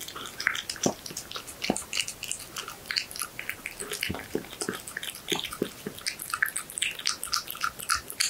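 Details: Horse meat being eaten by a cat indoors; sticky, squelching bites and tongue clicks follow one another closely, irregular and continuous, with sharper crunches scattered throughout and a quiet background.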